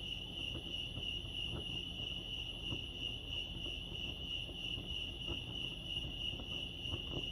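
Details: A sustained, shimmering cricket trill at Lake Arrowhead, California holds one high pitch without pause, over low background noise with a few soft taps.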